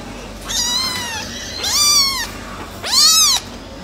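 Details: American Shorthair silver tabby kitten brothers meowing: three strong, high-pitched meows in quick succession, each rising then falling, the last one the loudest, over a quiet background.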